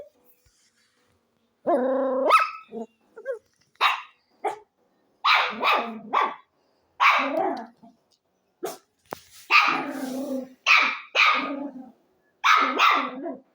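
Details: Dog barking after a short silence. A brief tonal whine-like call comes first, then sharp barks every second or so, some in quick pairs, with clean pauses between them.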